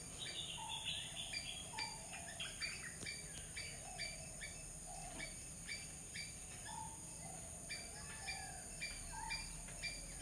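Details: Squirrel calling: short sharp chipping notes repeated about twice a second in an uneven rhythm, with lower soft notes between them, over a steady high hiss of insects and faint background noise.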